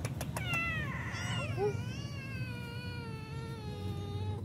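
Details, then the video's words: Stray cat living on the street asking for food, giving one long drawn-out meow with strong harmonics that wavers then slowly falls and fades over about four seconds, preceded by brief clicks, over low steady background rumble. "they immediately got up and asked for food"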